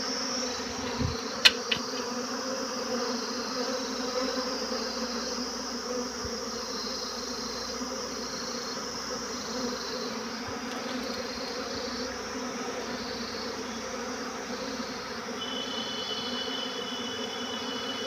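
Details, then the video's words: Swarming honey bees produce an even, sustained drone of many wings, a thick humming buzz. A couple of brief sharp clicks sound near the start, and a faint high tone comes in toward the end. "Todays swarm best moment Buzzing sound"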